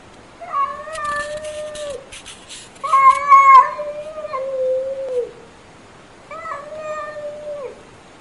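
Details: Domestic cat meowing indoors: three long, drawn-out meows, each level then sagging slightly at the end, the middle one loudest and longest, with a brief rustling noise near the start.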